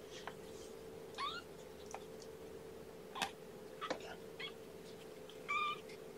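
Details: Kittens indoors just back from a trip to the vet, giving several short, thin mews scattered through the moment, some rising then falling in pitch, over a steady electrical hum.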